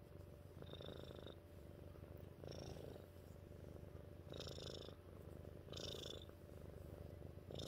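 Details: Mittens, a family cat, purrs in a soft continuous rumble, pulsing with each breath every second or two, airy hiss bursts riding on the louder swells.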